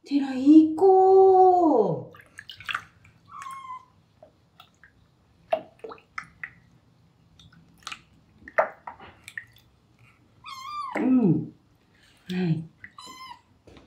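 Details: During his first bath, being washed with homemade Marseille soap, the normally calm rescued male kitten Terra lets out long, loud meows that bend downward, then a later rising-and-falling wail, amid a woman's gentle talk and dripping water.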